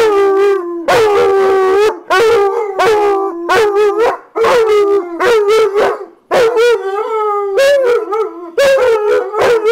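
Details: Two dogs, Nitro and JaKai, howl in welcome as their owner comes home from work. The howls come in choppy bursts of about a second, each wavering and slightly rising, separated by short silences.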